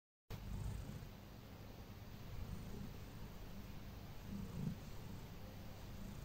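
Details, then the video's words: Domestic cat named Heliana purring while receiving her everyday massage before going to bed; a steady, low, rumbling purr runs continuously throughout, with a slightly louder swell near the end, in a quiet indoor setting. "You Massage, I Enjoy, Purr Purr"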